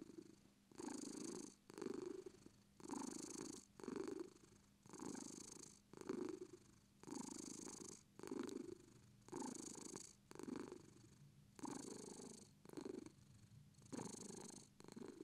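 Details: British Shorthair cat purring before sleep, a steady rumbling purr in alternating inhale and exhale pulses, roughly one cycle every second, with soft breathy hiss on each phase and no other sounds.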